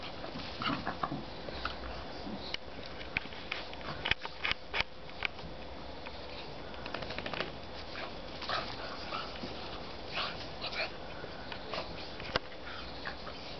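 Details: Two miniature schnauzers play-fighting, with short snorts, snuffles and scuffling bursts in a small room.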